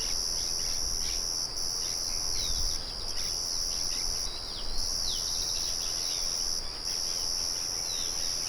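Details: Shrill, sustained cricket trill broken by several short gaps. Quick descending bird chirps flick in and out, and the low constant hum of a mill stays in the background.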